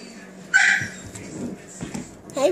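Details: Seven-week-old Australian Shepherd puppies at play indoors: a sharp, high yelp bursts out early, then a short rising whine closes the moment, while a person chats softly to the pups nearby.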